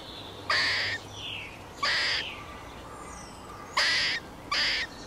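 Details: Four loud, abrupt harsh squawks from a squirrel, each about half a second long with strong layered harmonics, spaced unevenly over a few seconds with quieter faint notes between.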